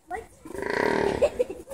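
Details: A bison asleep and snoring: one long, rasping, rattling breath of about a second, followed by a few short snorting puffs.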